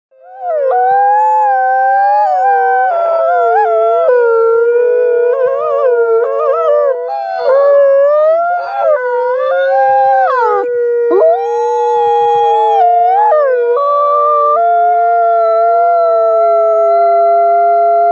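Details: Ambassador wolves Alawa and Nikai of the Wolf Conservation Center howling together, long sustained tones that bend, rise and waver, voices overlapping in harmony throughout with brief higher yips near the middle.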